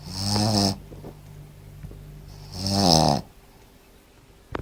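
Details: Tobias, a Shih Tzu dog, snoring loudly: two long rasping snores about two seconds apart, each a rich buzzy rumble with stacked harmonics, separated by quiet breathing; a small click at the end.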